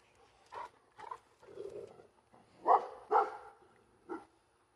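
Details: Labrador Retriever barking at planes overhead, a series of six sharp barks of varying loudness over about four seconds, the strongest pair near the middle, with a quieter growly bark between them.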